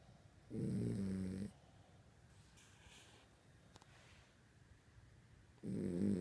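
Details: Pet dog asleep indoors at night, snoring: two long, low, rasping snores about five seconds apart, each lasting roughly a second, with quiet breathing between.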